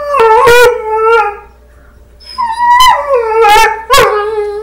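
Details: Domestic dog chatting with wolves playing on a screen, answering in short yodelling yowls: two quick rough bursts, a pause of near silence, then a rising moan and further strained, wavering howl-barks.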